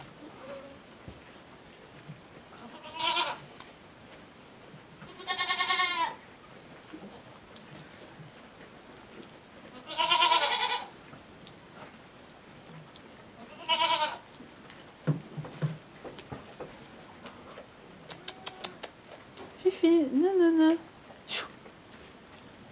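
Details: Miniature goat kid, small at birth, following a person to go suckle its mother, who accepted it only after several days; four loud, quavering harmonic bleats spaced a few seconds apart, with soft French speech and light rustling between.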